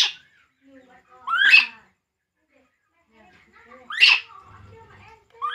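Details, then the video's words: Baby monkey Poo cries during milk feeding, with two strong, high, rising squeals about two and a half seconds apart, a faint low murmur of voices, and a soft hum between them. "baby monkey Poo, Poo crying drinking milk"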